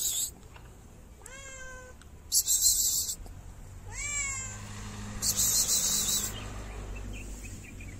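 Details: Shy stray cat in Morocco meowing for food but keeping wary of people: two loud, bending meows a few seconds apart, set among bursts of rustling, crackling noise.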